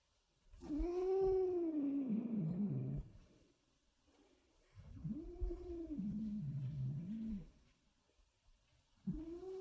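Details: Angry domestic cat growling at a kitten: long, low, moaning growls with wavering, rising and falling pitch, two drawn-out growls of about two and a half seconds each and a third just starting, in a quiet room.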